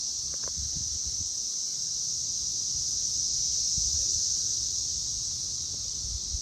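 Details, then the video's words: Loud cicadas recorded on May 24, 2024 at 6:00pm, a dense continuous shrill buzzing chorus held steady without break, with faint low rustling and a few soft knocks beneath. "Loud Cicadas!"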